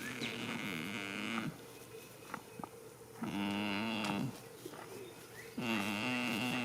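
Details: Snoring from a goat sleeping in a field on the first day of spring: three long, level, droning breaths spaced about two seconds apart, with faint clicks and a distant bird call.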